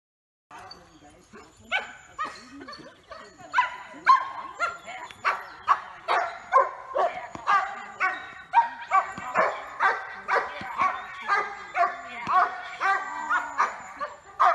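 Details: Giant Schnauzer of the Blackmoore kennel named Yukon, recorded in May 2018, barking in a steady run of sharp harmonic barks about twice per second, growing louder midway, with yelpy overtones and faint voices behind.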